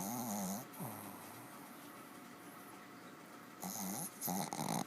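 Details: Dog sound asleep and snoring hard indoors, with a throaty, wavering snore at the start, a pause of steady room hiss, then two more grating snores close together near the end.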